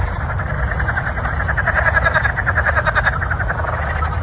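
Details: Frogs call in a dense, pulsing chorus of rapid croaks over a low background rumble just before a thunderstorm.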